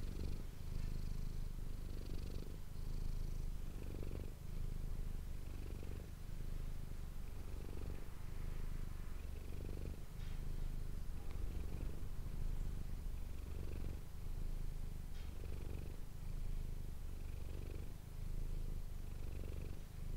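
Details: Domestic cat named Manis purring into an ASMR microphone, a sustained low buzzing rumble rising and falling in a regular breathing rhythm about every two seconds, with faint soft ticks above.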